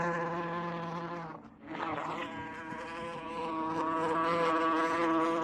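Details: Buzzing wasp recorded using 8D technology; the low droning hum drops away briefly early on, then comes back and builds into a sustained, overtone-rich buzz.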